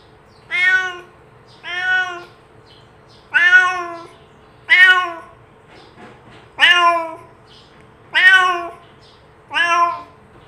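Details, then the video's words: Cat meowing as a call meant to attract other cats to come near: seven bright harmonic meows roughly every one and a half seconds, each short and arched in pitch, over a low constant hum. "SUARA KUCING ASLI | PANCINGAN MEMANGGIL KUCING LAIN UNTUK DATANG MENDEKAT!"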